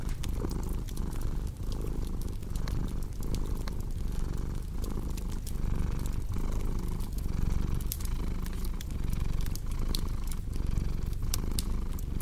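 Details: Cat purring alongside a cozy crackling fireplace: a deep, continuous vibrating drone pulsing in regular breath cycles, with bright pops and snaps from the burning wood scattered throughout.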